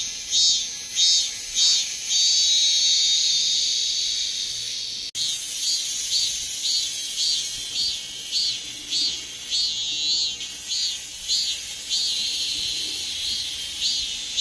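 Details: Korean cicadas in a loud, high-pitched buzzing chorus, throbbing in rhythmic pulses about twice per second; the sound cuts briefly near the middle, then the pulsing drone resumes just as strongly.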